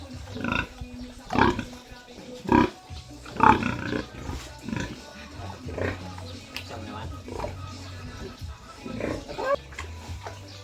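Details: Sow being moved to another pen. Short, rough grunts come roughly once a second, with a few louder bursts near the start. People talk throughout, and there is background music.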